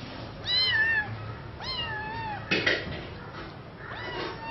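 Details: Young pet cat, taken in at two weeks old and missing her mother's milk, meows indoors: two clear drawn-out meows that drop then level off, followed by a faint knock and a softer third meow.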